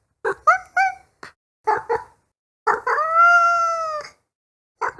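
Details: Kitten giving short clipped chirping mews, then one long steady drawn-out meow lasting about a second, with brief chirps before and after; quiet background.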